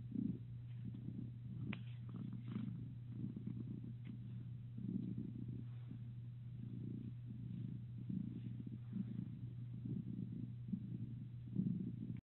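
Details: A domestic cat purring softly and close by, a low rumble swelling and fading about once a second with each breath, over a steady low hum.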